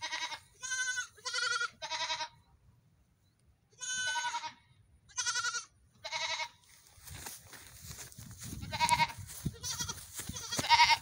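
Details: Several goat kids on a morning run, calling in a run of short, quavering bleats about a second apart, followed by louder overlapping bleats over scuffling and handling noise.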